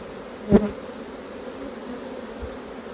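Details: Short stretch of the steady, low hum of honey bees at their hive during a honey harvest, opening with a brief thud.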